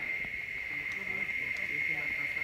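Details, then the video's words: Crickets in the forest by the Temple of the Inscriptions at Palenque, Chiapas, Mexico, give a continuous high, shrill ringing that holds steady throughout, with faint scattered lower sounds beneath. "Alors ce que vous entendez, c'est des espèces de grillons"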